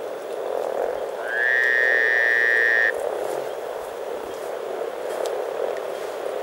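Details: Hundreds of frogs, over 300, enjoying spring in Teisko, Pirkanmaa, Finland, keep up a thick purring chorus of low croaks, while a steady whistled tone cuts in for about a second and a half before stopping.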